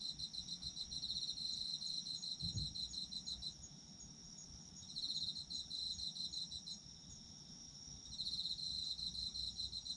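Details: Autumn insects trilling in repeated high pulsed bursts, several brief pauses between trains, a steady ringing background hum, and a soft low thump near the start.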